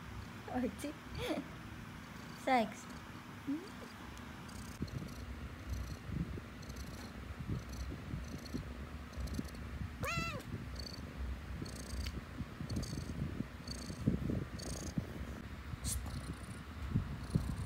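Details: Pet cat purring during a back-and-forth with its owner: a continuous low rumbling purr, broken by scattered clicks and rustles, with a few short rising-falling meow-like chirps early on and one clear meow near the middle.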